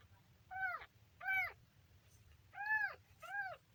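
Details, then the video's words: Kitten making four clear, high mews, each rising then falling in a short arch, in two pairs about a second apart, in a quiet setting with faint low hum. "kitten funny sound"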